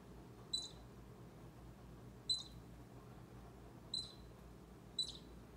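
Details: A baby squirrel squeaks four times, each call a quick shrill chirp, while close to an orange cat called Bushy; low room hum underneath.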